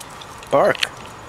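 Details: Brownie, a female pet dog, calling from the house for her friend Lola down the street: a single short yelping bark, wavering up then down and lasting about a quarter second, after a woman's voice urging her to bark.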